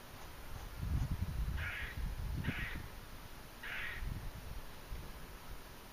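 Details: Squirrel making strange noises on October 28, 2012, in Margate, New Jersey, a day before Hurricane Sandy: three harsh, noisy squawks spaced one to two seconds apart, with low rumbling wind or handling noise beneath.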